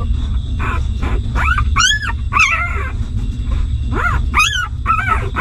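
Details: Newborn pups nursing from their stray mother dog give shrill, rising-and-falling whimpers in bursts, some sharp and piercing, others softer and wavering, against a persistent low background rumble.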